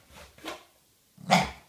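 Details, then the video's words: Staffordshire Bull Terrier puppy indoors barking to alert its owner that someone is outside: two short muffled barks, then one sharper louder bark, with a person's voice nearby. "Staffordshire Bull Terrier Puppy - Quick Dad! There is someone outside!!!!"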